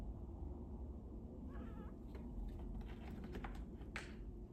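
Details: Jasper, a 5-year-old male domestic cat, watches birds through a window and chatters in short, rapid chirping bursts, a few quick wavering notes, over a steady low background rumble.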